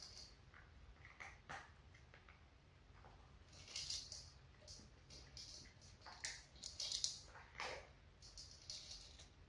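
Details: Indoor feeding of four domestic cats, adult sisters with two kittens, chewing kibble: scattered bright crackling crunches build into a dense run of rapid bites midway, then thin out again against soft room noise.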